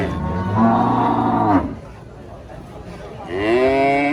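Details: A giant female cow rampages while being loaded beneath a tree. She lets out a long, loud, harmonic moo lasting over a second and a half, then a brief pause before another rising moo begins.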